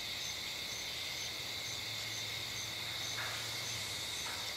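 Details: Insects call from bushes and trees on a summer night beside a dirt-road driveway under a streetlight. A steady, high, shimmering buzz runs throughout, topped by a higher tone pulsing about every half second, with a low hum underneath.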